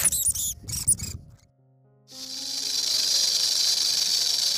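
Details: Rattlesnake shaking its tail, the sound made by friction between the hollow tail segments: a continuous high, dry hissing buzz lasting over two seconds. It follows a few brief squeaks from another animal.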